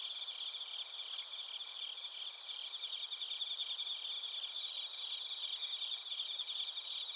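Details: Night-singing bell crickets and other crickets in Narita, Chiba, Japan, recorded with a TASCAM Portacapture X8; steady high ringing trills layered with rapid pulsed chirps, several callers overlapping throughout, growing slightly fuller toward the end.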